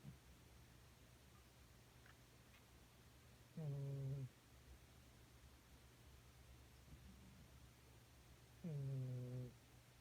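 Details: A cat of about thirteen years snores while passed out asleep on a beanbag after demanding butt pats all night. Two low, droning, voiced snores, each under a second long, come about five seconds apart in a quiet room.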